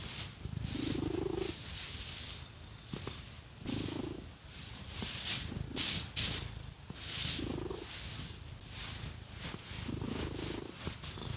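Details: Cat purring during a scratchy massage with fake nails; a low continuous purr sits beneath loud, rhythmic scratching strokes through fur that come every two seconds or so, with short bursts of louder purring between them.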